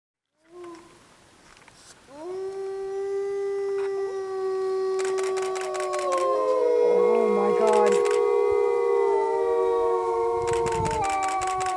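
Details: Captive Arctic wolves, about twenty in one enclosure at Omega Park, Montebello, Quebec, begin howling together: a single long steady howl rises from a quiet start, then several overlapping sustained howls join at different pitches, with brief clicking noises.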